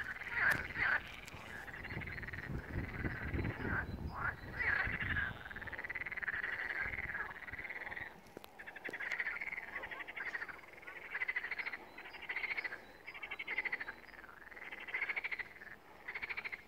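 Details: Frogs calling together at the first pond in Malaya Danilovka, a sustained chorus of rolling, rattling croaks rising and falling in waves, with a low rumbling noise early on.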